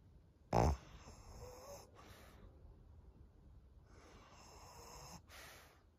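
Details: Maria, an elderly thirteen-year-old fawn female pug, in Japan in June 2023. A short, sharp snort near the start is followed by faint, hissing, snore-like breaths that rise and fall slowly.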